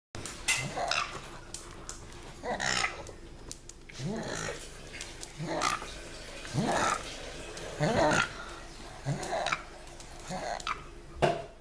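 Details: Binky the pug, back from a long walk outdoors, makes funny noises: bursts of snorting grunts mixed with short whiny, wavering moans, coming about every second or two with quiet breathing gaps between.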